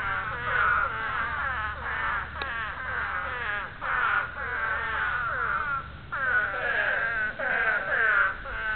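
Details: Spadefoot toads giving breeding calls: a dense chorus of overlapping, wavering, nasal moans, each roughly a second long with rich harmonics, rising and falling in pitch and swelling in waves with short lulls near 4 and 6 seconds.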